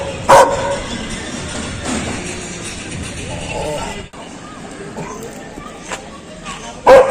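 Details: Loud dog barks, a single harsh bark at the start and another at the very end, with a long stretch of quiet murmuring background between them.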